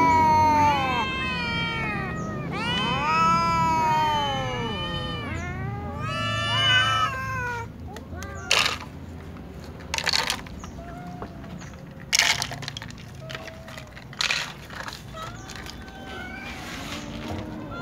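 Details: At meal time, a group of domestic cats that includes kittens, a tom, a ginger and a silver cat meows pitifully. Loud, overlapping, wailing meows fill the first half, then give way to sharp clicks and knocks with only scattered quieter mews.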